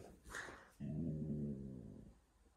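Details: Siberian Husky being dramatic during a husky argument on a cosy night in: a steady, low, rumbling grumble with a slightly wavering pitch, lasting about a second, preceded by a brief higher noise.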